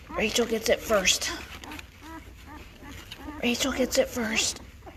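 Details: Noisy five-day-old Great Bernese puppies, bred from Great Pyrenees Lacey and Bernese Mountain Dog Castle: two clusters of shrill, bending squeals separated by softer, short whimpers, with faint rustling beneath.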